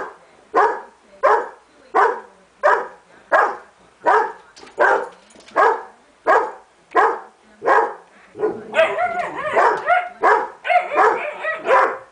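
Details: Irish Setter barking at the mailman: a steady run of loud, sharp barks roughly every 0.6 seconds, then a denser, rougher burst of overlapping barks and yelps toward the end.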